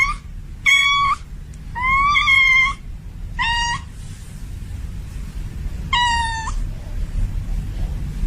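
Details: In heat, a female domestic cat calls a male: five loud meows, one long and arching, others short and clipped, spaced irregularly with a low rumbling background between them.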